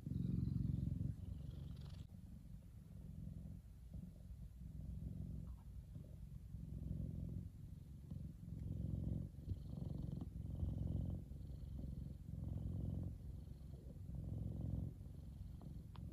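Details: Kumba, a male F2 Savannah cat, relaxing and enjoying the sun; a low, steady rumbling purr pulsing in soft waves with each breath, continuous throughout, with no other clear sounds.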